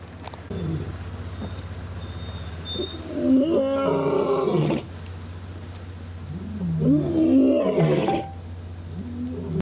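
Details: A white African lion gives deep, rumbling roars in two long bursts, with a steady low hum behind.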